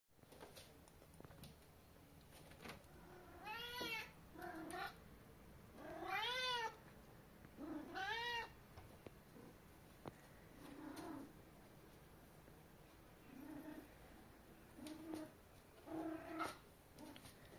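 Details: A male Maine Coon cat greeting in the morning gives several clear, arching meows between softer, shorter chirping calls.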